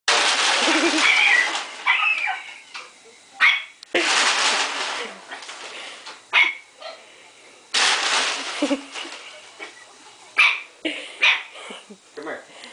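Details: A Boston Terrier, afraid of a bag, gives short, sharp barks and yips between loud crinkling, rustling noises of the bag.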